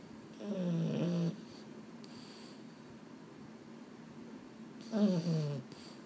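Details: Boston Terrier that can't sleep at bedtime, from a home with two males, Mambo and Cub; two drawn-out, low moaning groans with a falling tone, about a second each, separated by quiet breathing.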